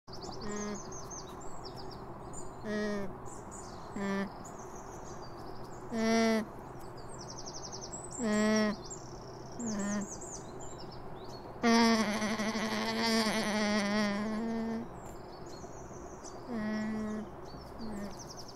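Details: Alpaca (Vicugna pacos), call.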